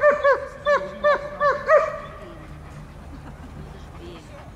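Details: German Shepherd during guard and protection training for service dogs in Dyukovsky Park, Odesa, 9 July 2022; about six sharp barks in the first two seconds, then only low background noise with faint voices.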